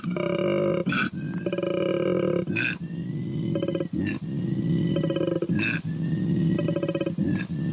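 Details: A koala, an endangered species, bellows with deep, rasping snores and belching grunts that alternate in a steady rhythm.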